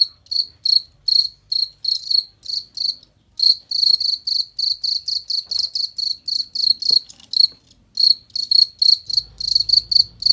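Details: Clear, loud cricket chirps used as master audio for tutoring contest songbirds; high metallic pulses in quick runs with brief pauses, a click near the middle and a low rumble toward the end.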